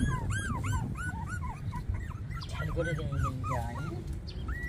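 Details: Puppies 24 days old give high, bending whines in quick succession over a steady low rumble of background noise.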